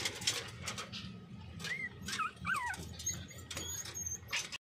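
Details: Two-week-old Miniature Pinscher puppy trying solid food for the first time, giving a few short, high, wavering whimpers that bend up and down near the middle, among soft clicks and rustling.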